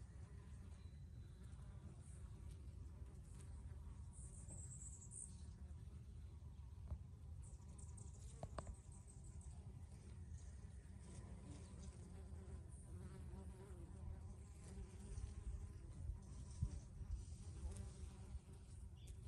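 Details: Several bees working basil flowers, giving a long, even droning buzz with passing louder flybys and occasional soft clicks over a constant low rumble.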